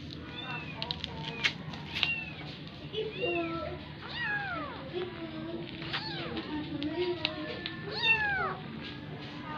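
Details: Persian kitten being made to nurse from a cat other than its mother; thin rising-falling mews at irregular intervals, a few longer arched cries, over steady low hum.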